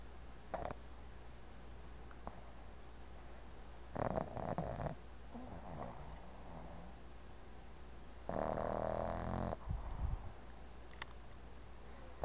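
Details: A male Boston Terrier puppy sleeps and snores surprisingly loudly for his size, in rough, breathy bursts over a low steady hum.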